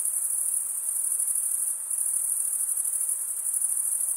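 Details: Continuous high cricket chirping, a shrill pulsing trill with a brief softer dip near the middle before resuming at full strength; no birds, voices or music heard.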